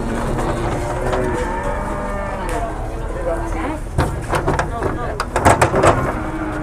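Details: Jumbo cattle being unloaded from a truck at a cattle market during Lebaran Ketupat in Indonesia; a long, low, drawn-out moo with stacked harmonics fills the first three seconds, followed by clattering, engine rumble and men talking.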